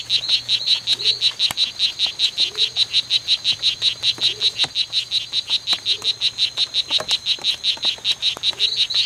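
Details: Male strawberry poison-dart frogs fighting at the C.R.A.R.C. reserve, 10 September 2012, 11:00 to 16:00; loud, rapid, high-pitched buzzing chirps repeated several times a second in a continuous run, with faint low hum beneath.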